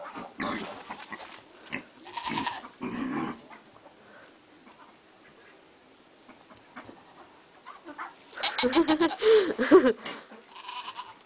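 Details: Pygmy goat kids playing on a Shetland sheep in February bleat in short, wavering bursts, with a louder run of bleats near the end.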